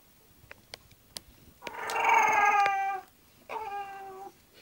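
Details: English Bulldog, a pet dog, settling down to go to sleep: a drawn-out harmonic whining moan lasting over a second and sliding slightly downward, then a shorter, steadier second whine, with faint clicks before.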